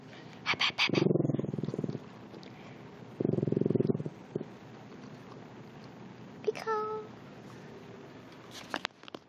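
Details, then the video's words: Fat puppy growling at a person: two rough, rattling low growls of about a second each, separated by a pause, then a brief higher whining tone, with soft room noise and a short spoken word near the end. "Fat puppy growls at me"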